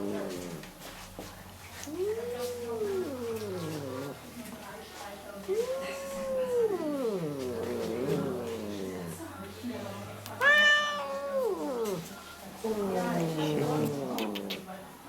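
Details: Female shelter cat in Germany "talking", grumbling about things she dislikes; a series of four or five arched, moaning meows spaced a few seconds apart, one higher and sharper near the middle, with a low background hum between calls.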